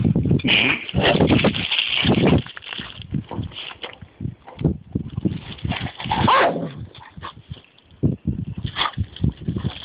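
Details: Two dogs outdoors: a Golden Labrador named Taxi leads another dog, Tammy, by the lead, and Tammy isn't pleased; rough, broadband vocal bursts come in clusters, strongest early on, with scuffling and outdoor noise between them.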